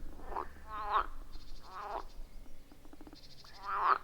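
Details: Frog calls from a quiet forest pond recorded on iPhone 14 Pro plus Shure MV88+; a few drawn-out, wavering croaks spaced about a second apart over faint background hum.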